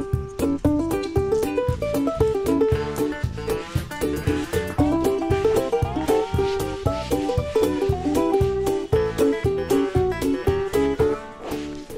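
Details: Upbeat plucked guitar music with a steady drum beat and jazzy melody; no animal sound is heard.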